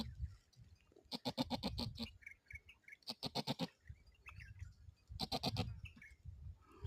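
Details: Domestic goat in labour, crying out in pain while giving birth to a kid. Three loud, quavering bleats, each about a second long and strongly pulsed like a rapid tremolo, come at roughly two-second intervals with faint background rustling between them.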